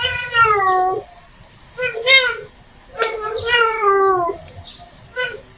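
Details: Female cat in heat calling for a male: a series of long, falling, wailing meows of varying length, separated by brief gaps, indoors with a quiet background.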